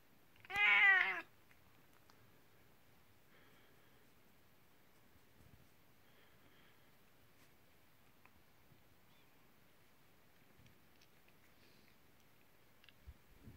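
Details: Kuku, an elderly nineteen-year-old house cat, calls its owner at bedtime as a welcome; a single loud, rich harmonic meow at the start, then quiet room sounds.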